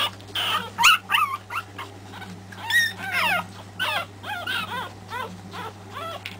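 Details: Pekingese pups from the three-week-old MJ litter at Terasroos cry in short, high-pitched whimpers, each a quick upward-then-downward squeal, several per second in clusters, over a faint steady hum.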